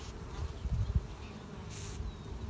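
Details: Honey bees in a backyard hive in Alpine, California, as the queen is spotted among them; a low, steady droning hum with a short airy hiss near the end.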